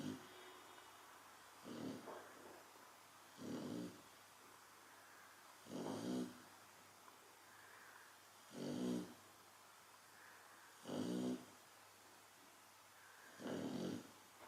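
A Chow Chow snores in deep, rumbling bursts about every two to two and a half seconds.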